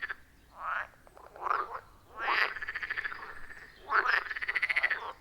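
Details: Wild frogs at a forest pond in real time: short rough croaks followed by longer trilled, rapidly pulsed calls, each roughly a second long, repeating with brief gaps; no music or talking.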